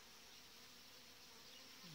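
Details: A soft, steady hum of many Western honey bees from a strong, well-developed hive colony in July blends into a dense, even buzz.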